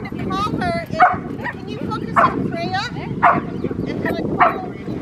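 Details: Rottweilers Freya, Poncho and Peaches in obedience training with distraction at Victoria Rottweiler Club, May 2, 2021; sharp barks repeat about once a second over steady talking and background chatter.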